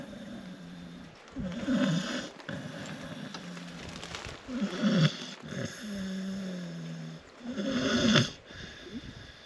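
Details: Tess the dog asleep and snoring: rough, low, rattling inhalations at about two-second to three-second intervals, each swelling then fading, with a constant electrical hum behind.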